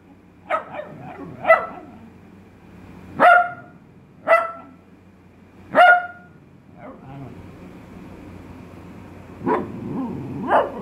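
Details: A trained male Italian Greyhound, told to "speak", gives sharp, spaced single barks, several clear yaps a second or two apart.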